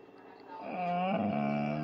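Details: Tua, a male Bullmastiff, begs for his food at dinner time with a drawn-out, whining howl that swells after a brief quiet start, bends upward, then holds a steady, strained tone to the end.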